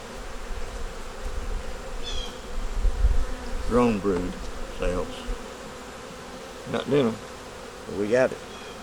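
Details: Continuous droning of a wintering honey bee nuc, with a yellow queen and brood in the top, heard during a hive check, with a soft thump near the middle and several brief spoken words later on.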